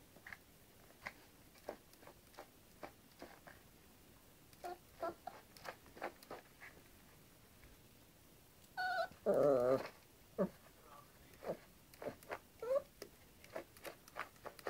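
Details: Playful Yorkshire Terrier tussling with a hairbrush in a small room: scattered light taps and scuffles, then one strong wavering growling whine of about a second midway, followed by a few soft squeaks.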